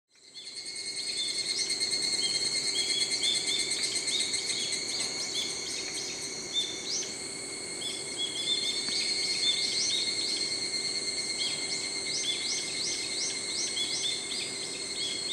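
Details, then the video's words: An evening cicada (higurashi), a species that sings in early morning and evening, gives a high, ringing trill of quickly repeated notes that swell and fade in waves. A brown-eared bulbul's high-pitched cry may be heard. "ヒグラシの鳴き声 /Chirping of the Higurashi ( Evening cicada )."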